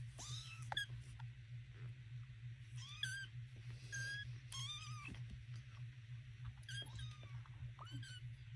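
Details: Baby kittens in a box with their mother Peaches, a calico cat, give thin, high meows. Each one rises and falls, and about eight come in quick bursts, some overlapping, over soft rustling and a steady low hum.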